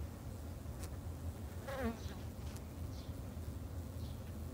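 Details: Low buzzing hum of Japanese honey bees kept in a home garden. A brief rising harmonic whine passes midway, over faint high chirps in the background.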